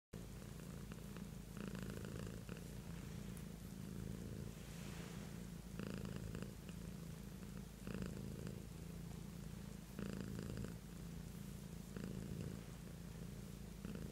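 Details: Beatrice, a pet cat, purring steadily: a low rumbling drone with a rhythmic swell of louder inhale-exhale bursts roughly every two seconds, continuous throughout.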